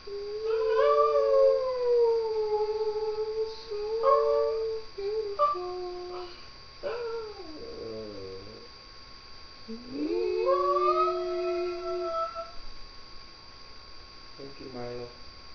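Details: Shih Tzu dog 'singing' indoors: drawn-out, wavering howl-like tones that slide up and down in several separate phrases with short gaps between them. A steady high electronic whine runs underneath throughout.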